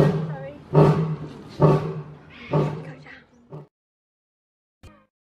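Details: Lion giving the tail end of a roaring bout: four deep, hoarse grunts spaced under a second apart, weakening, then a short last grunt before silence.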